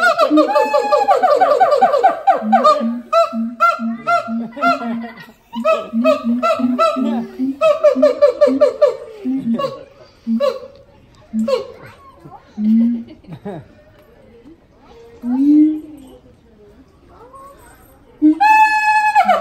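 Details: Duet from a siamang pair, father and mother, at the Los Angeles Zoo. Dense harmonic screaming leads into rapid repeated booms that slow and thin out, with scattered barks and a final loud wailing surge.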